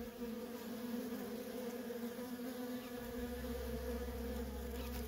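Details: Continuous buzzing of worker honey bees streaming in and out of a feral colony. After about three seconds a deep steady hum joins beneath the bee drone.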